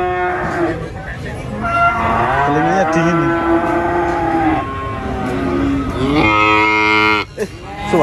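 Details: Cattle brought to the Prambanan animal market in Indonesia: a long drawn-out moo that rises and falls over several seconds, followed by a second strong moo near the end, with background chatter.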